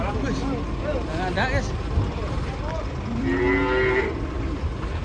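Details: Cattle from a collection of funny cows, with a drawn-out moo rising slightly in pitch in the later seconds, preceded by wavering voice-like sounds and a continuous low rumble underneath.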